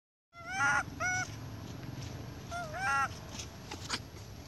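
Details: A spoiled baby monkey crying loudly for milk from its mother: sharp, wavering harmonic squeals in two bursts near the start and another around three seconds, over steady background noise, with a brief voice afterwards.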